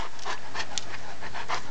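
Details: Cerberus, a Great Dane and St Bernard mix dog, excited just before being handed a big dog pretzel. Breathy panting bursts come rhythmically about every third of a second, with one sharp click and a steady low rumble underneath.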